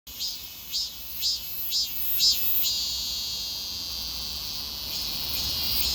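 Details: Cicada in summer: a high, hissing insect drone with about five rhythmic pulsing bursts, roughly two per second, over the first half, then a steady continuous buzz for the rest.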